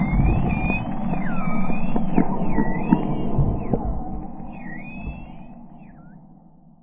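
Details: Short-beaked common dolphins trade rapid, sliding whistles that swoop up and down over a low underwater rumble, recorded with enhanced sound on 15 June 2020 from a whale-watching boat out of Reen Pier.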